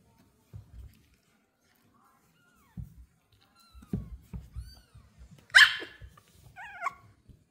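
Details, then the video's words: Female Pomeranian puppy Lucy, excited at seeing new kittens for the first time, gives a single loud, sharp, high yap after soft low knocks and rustles. A thinner, tonal harmonic call follows a second later. "My puppy barks with excitement when she sees new kittens!"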